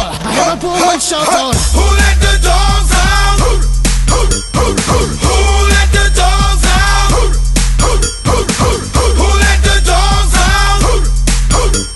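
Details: Loud hip hop music with a heavy bass beat and rapped vocals plays throughout, and no animal sound can be picked out.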